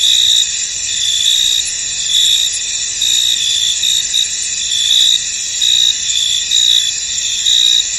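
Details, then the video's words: Foggy field at night-like calm with crickets: a constant high buzzing trill under brighter chirp bursts returning roughly once a second. "Tranquil Cricket Sounds In An Misty Field"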